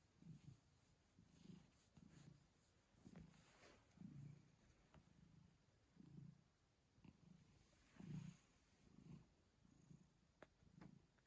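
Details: Quiet, low purring from a cat with hiccups, heard as soft thumping pulses that repeat about once a second, somewhat unevenly, over a hushed background.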